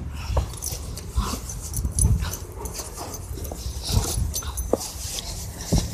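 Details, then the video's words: German Shepherd making loud noises while playing tug: deep rumbling growl-like sounds in uneven bursts, with brief high whines and scuffling thumps throughout. "Loud Noises and Tug"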